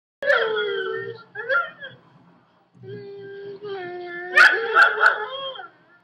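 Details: A female pet Chihuahua howls in front of her owners. Long, tonal, wavering howls with rich harmonics, then a pause near two seconds. A steadier howl follows and climbs into louder, strained cries near the end.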